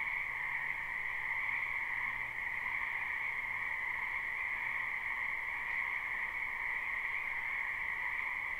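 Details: Distant frog chorus from a spring wetland, live and unlooped: an even, unbroken high trilling drone with a lower band beneath, very steady in level, set in noticeable background hiss.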